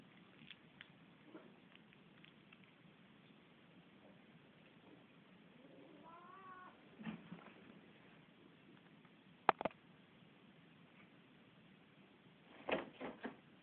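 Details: Luksus, a pet cat, fighting with Missy indoors: one faint meow, drawn out and wavering, in the middle of a quiet room, with scattered sharp clicks and knocks before and after.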